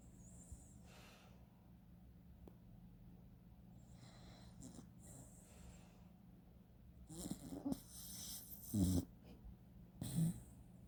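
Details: Sookie, a female dachshund, snoring in her sleep: soft, low, breathy rasps that swell into louder snorting snores about every one and a half seconds near the end, over a quiet steady background hum.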